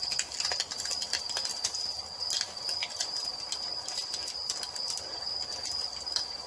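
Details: Crickets calling on an evening by a fireplace: a steady, unbroken high-pitched trill runs throughout, with sharp pops and crackles of burning wood scattered over it.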